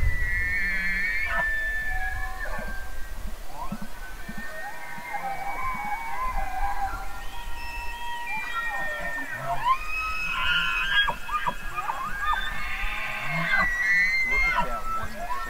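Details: Elk bugling, with several overlapping whistled calls rising, wavering and falling across the clip, some with quick warbling trills, over a constant low rumble.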